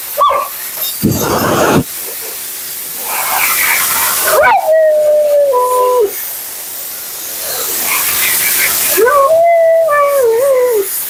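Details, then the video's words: While being groomed, Mila the Siberian Husky gives two separate drawn-out whines with wobbling pitch, separated by loud bursts of blower or water noise. "Talking Husky"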